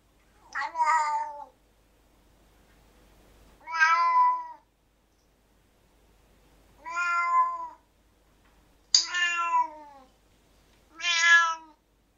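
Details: Domestic cat meowing, mentioned alongside causes of excessive vocalization such as pain or anxiety: five clear, falling meows at uneven intervals of two to three seconds, with near silence between calls.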